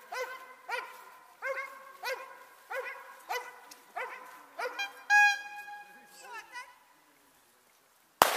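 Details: Dobermann E-Qyoda Qumca von Bolcanstern during Ring 2 attack work: about eight loud, harmonic barks at a steady pace, one every 0.6 seconds or so, then a short high whistled tone, quieter sounds and a sudden sharp crack at the end.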